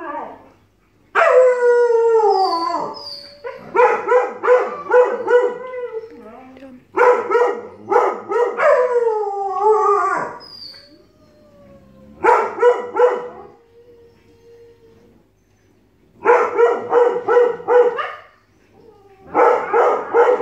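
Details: Siberian Husky and Alaskan Malamute puppy in a long argument that turns into howling: bursts of harmonic, wavering howl-talk with rising and falling yowls, pausing briefly between phrases, repeated several times.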